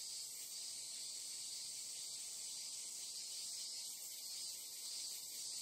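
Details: Japanese cricket or cicada chorus forming a loud, hissing high-pitched wall of sound that swells gently near the start and end, with broadband background noise beneath.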